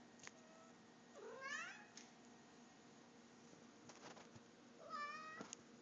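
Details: A pet cat talking to its owner indoors: two rising-then-falling harmonic meows about three and a half seconds apart, with a quiet room hum and a woman's voice before and after.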